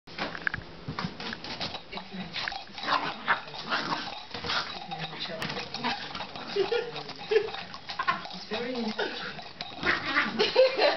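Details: A dachshund gives short, sharp barks and excited yaps at an exercise ball he has been teased with for days, indoors in a living room, with human voices talking over it.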